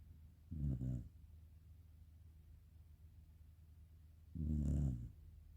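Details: A sleeping black Shiba Inu snores softly indoors: two low, rumbling breaths about four seconds apart, with near silence between.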